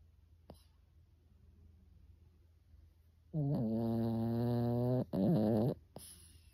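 A sleeping Pekingese gives two deep, rasping snores, low and buzzy, much like a person snoring.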